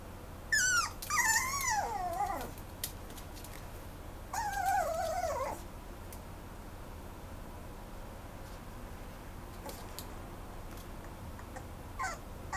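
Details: Mame Shiba dog at Pets Hop, a Japanese pet shop rehoming dogs, giving two drawn-out whimpering whines that waver and slide downward in pitch, followed by quiet with faint clicks and a brief high squeak near the end.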